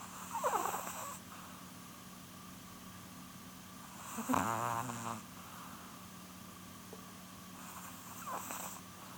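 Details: Polun, a sleeping female chihuahua nearly twelve years old, snores in rasping breath bursts about every four seconds, each carrying a nasal, fluttering rattle, over a steady low electrical hum in a quiet room.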